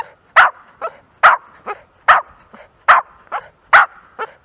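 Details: A Jack Russell Terrier quartering a plain. It gives loud sharp barks about every 0.85 seconds, each followed by a softer short yip, in a steady rhythm.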